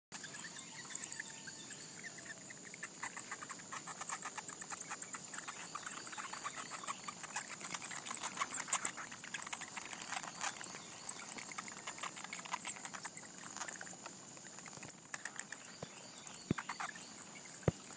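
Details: Bat colony roosting in a gable vent in Atlanta, disturbed by someone peering in; dense rapid clicking and ticking chatter, with thin high squeaks over a steady high hiss, growing busier in the second half.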